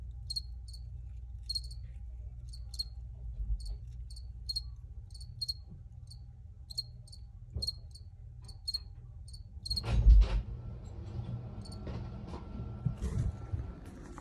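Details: Crickets chirping in short high bursts repeated every second or so, over a low background rumble; around the ten-second mark a loud thump and rustling noise cut in and the chirps fade out.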